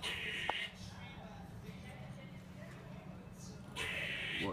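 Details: High on netting in Whitechapel, East London, an upside-down squirrel reacts to a cat below with two rasping, buzzy, hissed bursts of under a second each, separated by about three seconds of quieter hum and faint scratchy sounds.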